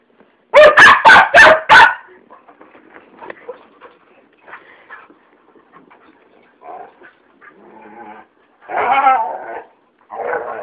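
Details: Siberian Huskies Atticus and Ilythia barking for no reason, opening with a fast run of five loud barks, then quieter scattered yips and murmurs before two softer, drawn-out bark-howls near the end.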